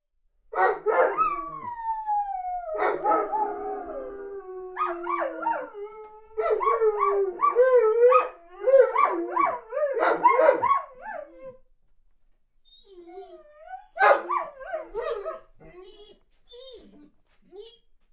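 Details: Weimaraner pining while boarded away from home, with a smaller dog howling along: a dense run of wavering, sliding whines and howls, some falling in long glides, in overlapping bursts that trail off into quieter whimpers near the end.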